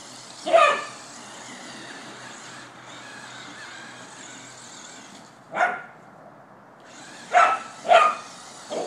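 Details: Border Collie chasing a remote-control car, giving sharp single barks, one near the start and then a cluster of three or four spaced about half a second apart near the end, over a steady whirring motor hiss.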